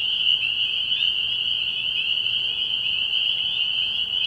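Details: Spring peepers in full chorus at a night-time frog pond in early spring: a dense, shrill, pulsing band of high peeps that swells slightly and sustains throughout.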